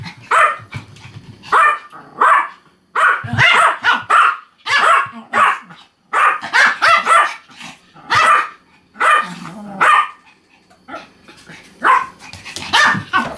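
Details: Pomeranian dog indoors asking to be given some food, giving a rapid series of sharp, high yapping barks in quick bursts with short pauses between them.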